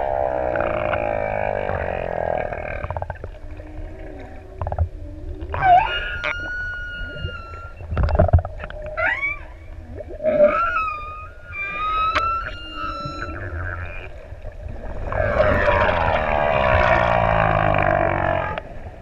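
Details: Six adult humpback whales singing in open sea off ʻEua, Tonga, near swimmers; low groaning moans give way to high whistled upsweeps and held tones, then a broad harmonic roar, with low grunts between.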